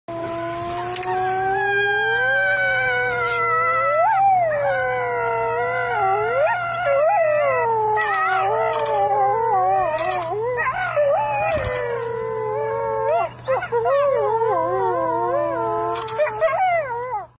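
Several wolves howl together, long sliding wails rising and falling over one another in a chorus.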